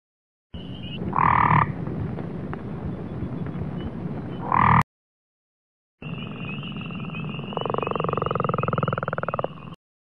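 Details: Frog calls in two recordings over heavy low rumbling noise: short bursts of pulsed croaks, then a steady high buzz that turns into a fast, even pulsed trill.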